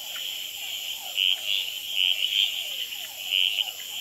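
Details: Red-eyed treefrog males calling and fighting on a potted plant at Gamboa's Experimental Pond under infrared light at night; about four loud brief chuck-like notes in irregular bursts, over a dense high frog chorus and a steady run of falling whines from hourglass treefrogs and others.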